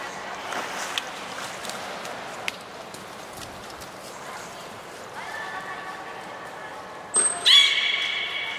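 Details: Beluga named Nana during a training session at Nagoya Port Aquarium, 13 April 2019: after a stretch of faint background noise, harmonic tonal calls rise in, then a short high thin whistle tone is followed by a louder, buzzy harmonic call.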